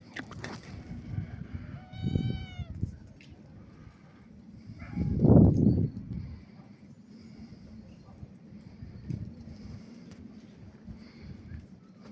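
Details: Two kittens playing outdoors on a sunny autumn afternoon around a climbing tree and fallen leaves; one short harmonic meow rises out of crunching leaf rustle and paw scratching, followed by a loud burst of rustling.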